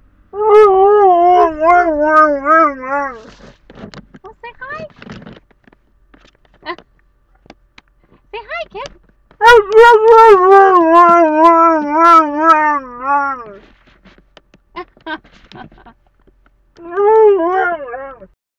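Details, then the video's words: Talkative Alaskan Malamute chattering in a car, from a sled ranch: repeated long wavering yodel-like howls rising and falling in pitch, separated by soft grumbles and short pauses. "Kipnuk the Talking Dog"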